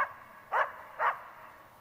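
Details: Two short, sharp barks about half a second apart from Tara, a Border Collie doing search and rescue training, with a low background hum.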